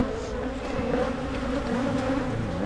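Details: Carniolan honey bees humming in an opened Michigan hive during splitting, frames being inspected; an unbroken low buzz with a few rising and falling wing tones drifting across the hum.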